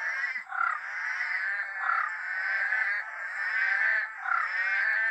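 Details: Rainforest frogs calling together on a very dark, drizzly night. Possibly Eastern Dwarf Tree Frogs and brown frogs of uncertain species. A dense, loud, continuous mid-pitched chorus of overlapping rasping croaks swells and dips every second or so.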